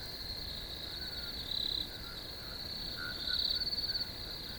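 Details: Shrill unbroken cricket trilling, high and buzzy, rising twice into louder pulsed passages, while quieter chirps flicker at a lower pitch.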